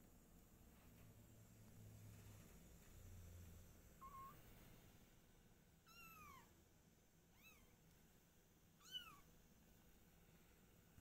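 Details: Mother cat Silky, her kittens and the father cat: after a faint short mew, three thin high meows each arch downward, spaced about one and a half seconds apart, over a quiet low hum.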